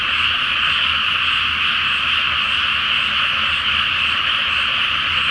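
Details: Frogs chorusing at night over a water-filled paddy awaiting rice planting, full moon overhead; a thick, steady trilling croak mass with no gaps and a low background hum.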